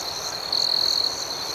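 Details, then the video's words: A cricket at night gives one clear high, pure trilled chirp of about half a second over a constant background hum of other crickets. "Soothing Cricket Sounds"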